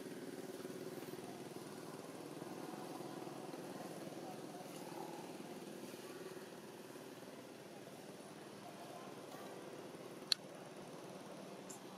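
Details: Faint outdoor urban background of idling engine rumble and distant muffled voices, with one sharp click near the end.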